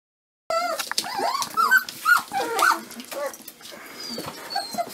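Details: Dobermann puppies, 25 days old, making high squeaky whines and yelps that rise and fall in short arches, starting after a brief silence and growing fainter and more scattered toward the end.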